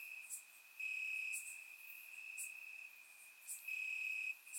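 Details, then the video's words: Crickets chirping in grass on a warm summer night in Bulgaria, recorded with a surround microphone: a steady high continuous trill swelling louder in long bursts, with brief higher clicks from other insects overhead. "Cricket Sounds - Crickets Chirping at Night"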